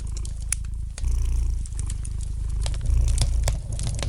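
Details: Gentle purring of a domestic cat by a crackling fire, a low continuous throb about four pulses per second that briefly dips then grows louder, with light snaps from the fireplace scattered throughout.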